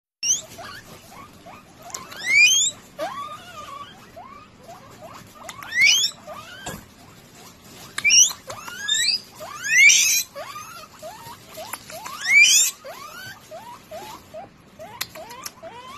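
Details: Guinea pig giving loud rising wheeking whistles in bursts every few seconds, sweeping steeply upward, with softer short chirps and squeaks between them and a faint low rustle beneath.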